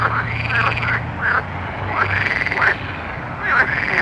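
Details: Night frog chorus of drawn-out, arching croaks that swell and fade, overlapping at irregular intervals, with a low steady hum underneath and constant hiss.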